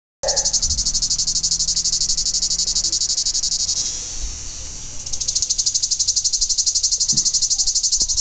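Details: Cicada, known as tzitziki, in Greece, calling by day: a loud, high, pulsing buzz with rapid regular throbs. It sags and weakens for about a second midway, then resumes at full strength.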